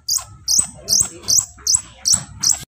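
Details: Two young squirrels chirp in a steady series of seven piercing, high-pitched squeaks spaced roughly 0.4 seconds apart, with a soft low rumble underneath.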